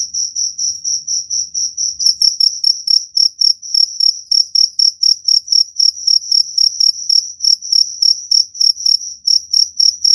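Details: Cricket call played to scare off rats: crisp, high-pitched chirps repeated about four times a second, evenly spaced, growing louder and gaining a sharper upper overtone partway through.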